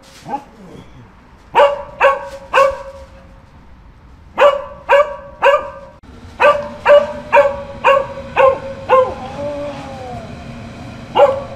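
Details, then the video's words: Dog gives scattered barks that build into a rapid run of about eight barks near the end, with a faint whine-like sliding tone under the last ones and a low background rumble. "Dogs Barking for 12 hours"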